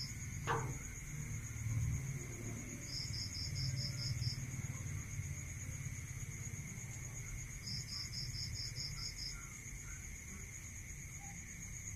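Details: Crickets at night in a rural area: two short bursts of fast high pulsed chirps, several seconds apart, over a continuous shrill insect hum, with a sharp click near the start and a low rumble.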